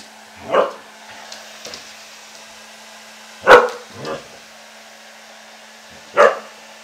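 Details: After his bath, husky Ari meets the hair dryer: three loud barks, one followed by a softer echoing woof, set against a constant low dryer hum.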